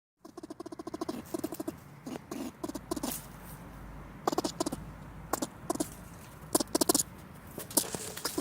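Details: A squirrel held in a trap for under three hours gives angry bursts of harsh, rapid chattering and clicks in quick irregular volleys; it was released afterward.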